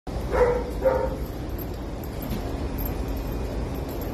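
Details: [1, 'yes', 'bark', 'Java, a scared female Boston Terrier rescue puppy on her first visit to a pet store, gives two short, mid-pitched yips about half a second apart, followed by steady indoor background hum.']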